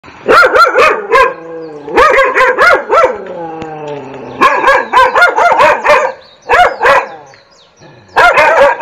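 A dog barks in rapid bursts of sharp, mid-pitched woofs, several in quick succession, pausing briefly between volleys.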